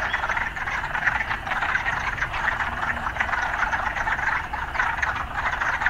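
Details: Frog chorus among urban surroundings: an unbroken wall of overlapping croaks pulsing throughout, with no distinct chirps standing out and a soft low background rumble.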